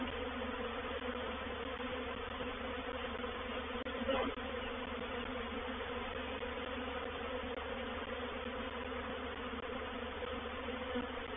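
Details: Constant massed buzzing of a honey bee reproductive swarm entering a bait hive at Painted Peacock Manor, a thick, even hum broken only by a faint tap near the middle.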